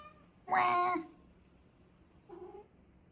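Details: Cat sitting on a fridge gives one loud, harsh meow about half a second long, followed after a pause by a short softer meow, indoors.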